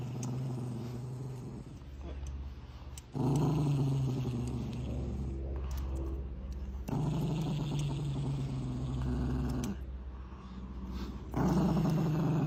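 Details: Low, continuous growl from an angry Chihuahua, swelling into louder rumbling surges roughly every three to four seconds between quieter stretches, with no barking and steady faint hiss underneath.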